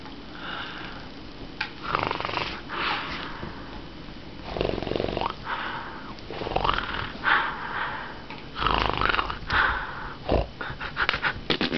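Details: A corgi makes rough, snorting growls in irregular bursts during play, a playful intimidation; the growled-at dog enjoys it and wags his tail throughout.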